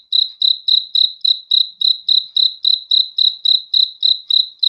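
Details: Cricket calling at night with crisp, high, ringing chirps, nearly four per second in a very steady beat, each chirp swelling and fading quickly over total silence.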